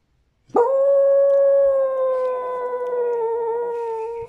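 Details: Dog crying for a tamal: one long sustained howl, starting abruptly with a quick upward sweep, then holding a steady tone that sags slightly lower toward the end, with rich overtones throughout.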